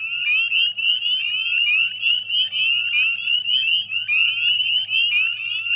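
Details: Many northern spring peepers calling together at a West Chezzetcook salt marsh, Nova Scotia, at dusk in May 2020; shrill upslurred peeps pile into a steady ringing chorus over a faint low hum.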